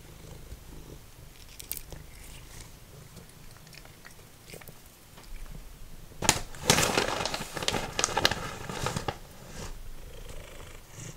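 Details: Simba, a formerly feral cat, eating dried minnows: a low steady purr rumbles beneath, broken by a loud burst of crunching and chewing around the middle and softer bites after.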